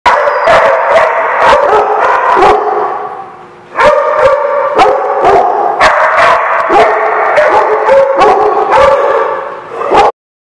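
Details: Dogs barking and howling in a dense overlapping chorus, sharp barks every half second mixed with drawn-out tonal howls, a brief lull near four seconds, then the chorus resumes until an abrupt stop.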